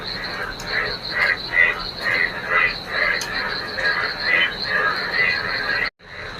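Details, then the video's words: On a rainy day, frogs sing together in a local field flooded by rain. Rapid, overlapping croaking pulses come in waves of rising and falling loudness, over a constant high whine. The sound cuts out abruptly near the end. "বৃষ্টি ভেজা দিনে, সঙ্গে ব্যাঙেদের গানে"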